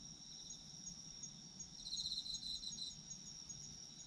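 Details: Autumn insect chorus, high and continuous, with a louder burst of fast pulsed chirping in the middle lasting about a second, over a soft low background hum.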